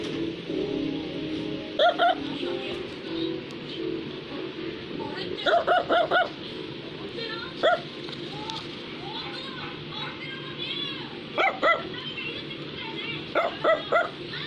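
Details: Small Brussels Griffon dog giving short, sharp yapping barks in scattered clusters of one to four, separated by pauses of several seconds, over steady background music.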